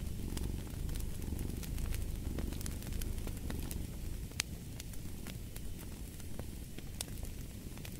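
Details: Low rumbling cat purr under a steady bed of fireplace crackle, the breath-by-breath swells less distinct here, with frequent sharp wood pops and one louder snap midway.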